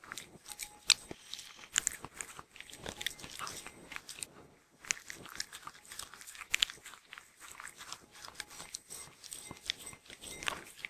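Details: Shetland Sheepdog eating indoors, recorded as a looped version with no intro or music; sharp, irregular crunches and bites in quick clusters, crisp clicks, and a short quiet pause near the middle.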